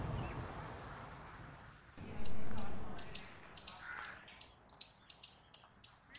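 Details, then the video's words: Squirrel calling: after about two seconds of quiet low rumble, sharp, very high clicking chips begin and repeat in quick bursts, roughly two to three per second, and grow louder toward the end. "Squirrel Noises Loud | Squirrel Sound Video"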